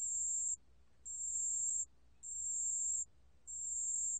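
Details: A pale bell cricket sings in a 2020 National Institute of Biological Resources recording from Korea. Its even, piercingly high ringing notes last close to a second each and come four times, separated by brief gaps, over a soft low hum.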